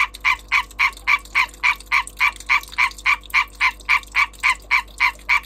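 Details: Breeding European green tree frog giving its call, a rapid series of rasping, clipped croaks repeated steadily around three to four times a second, loud and close, background otherwise quiet.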